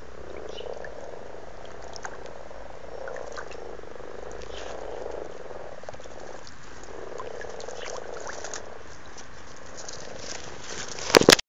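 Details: Mating-season frogs croaking in a backyard pond at Blarney, Cork, Ireland, February 2012: soft, low purring croaks repeated in steady pulses, roughly every two seconds, ending with a sudden loud splash or knock.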